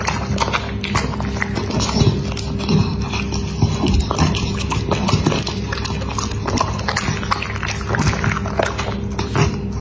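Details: Crunchy, rapid chewing from a feeding dog, sharp clicking bites packed close together across the whole stretch, with a constant low hum running underneath.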